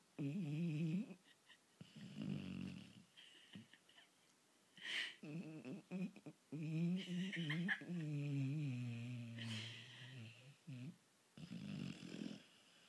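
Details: Archie, a sleeping dog, snoring indoors: low, rumbling nasal breaths in repeated bursts with layered harmonics, some drawn-out wheezy exhalations, pauses of silence between breaths.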